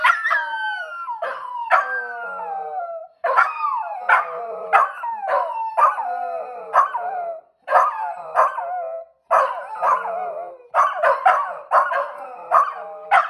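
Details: Two pet dogs trying to howl: wavering, sliding tonal howls broken by sharp yips and barks, coming in bursts of a few seconds separated by brief pauses.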